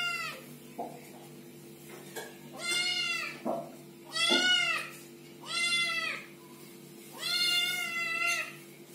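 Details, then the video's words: Little kittens meowing, a series of high, harmonic-rich mews arriving every second or so, some short and chirpy, others longer and arched, over a faint steady hum. "Little kittens meowing and talking"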